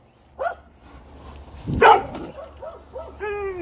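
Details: A pet dog gives a faint yelp, then one loud bark, followed by soft whining yips and a sustained tonal whine at the end.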